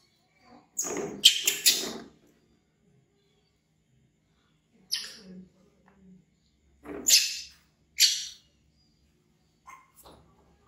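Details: Baby monkey Bean, an orphan found in the jungle and taken in by villagers, screams loudly in fear of a crocodile; harsh, high shrieks come in bursts, a double cry near the start, then single screams spaced by short silences.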